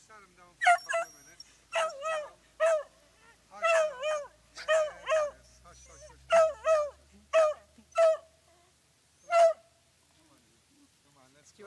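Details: Beagles on a walk, alongside a small fluffy dog, bark anxiously in a steady run of sharp, mid-pitched yaps, some in quick pairs; these dogs usually bark or whine non-stop throughout walks.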